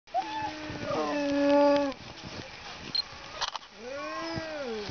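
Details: Kennel Alaskan Malamutes in snow give drawn-out, wavering, tuneful woo-like calls that rise and fall in pitch.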